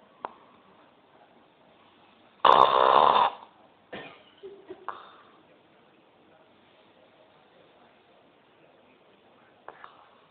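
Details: Sleeping pet dog snoring indoors, recorded on a mobile phone: one loud rasping snore under a second long, then softer snuffles and faint clicks in a quiet room.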